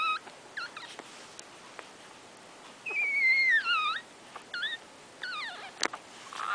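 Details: Nursing Shorkie Tzu puppies one week old give repeated high whines and squeals, some short and hooked, one long descending whine, with soft clicks between.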